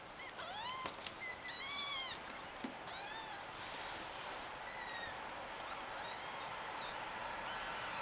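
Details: A litter of kittens mewing repeatedly, with several high-pitched cries that arch up and down and sometimes overlap as more than one kitten calls, plus a faint click, over a quiet, hissy background.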